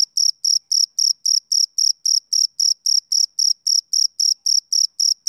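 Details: Summer-evening chirping by a male cricket: bright, piercing pulses repeated roughly four per second in a steady metronome-like rhythm over a silent background.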